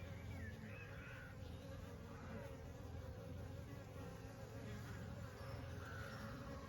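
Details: Summer honey bees humming steadily, a thick unbroken low-pitched drone with even harmonic layers and faint higher whines drifting in and out, holding a constant loudness throughout.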